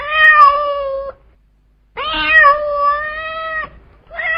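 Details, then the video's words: Two sustained, level meows from a cat calling to attract another cat, each over a second long and separated by a short pause, with the start of a third meow cut off at the end. "Cat sound to attract cat | Suara Kucing jantan"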